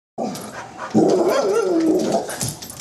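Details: Confused guard dog making a drawn-out, wavering, talk-like whine that rises and falls for about a second, after a brief earlier yelp, followed by a person's voice scolding it indoors.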